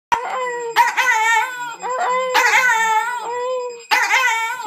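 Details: A male Schipperke, roused before dawn, howls at an alarm clock in several drawn-out, quavering, mid-pitched howls, each rising and sliding before breaking off, over a thin, steady electronic alarm tone; a person speaks briefly afterward.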